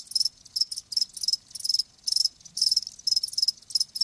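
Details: Chirping of live crickets: sharp high trilled bursts, roughly two to three each second, irregularly spaced, with short quiet gaps between them and a soft low rumble underneath.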